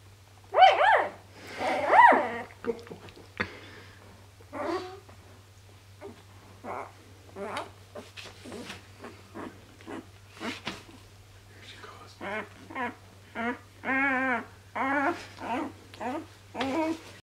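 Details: Newborn Dobermann puppies from Tessa's litter of eight, filmed indoors on their birth day, with a little girl barking: two loud squeals open, then scattered squeaks, and later a run of wavering whimpers about once a second; people murmur now and then.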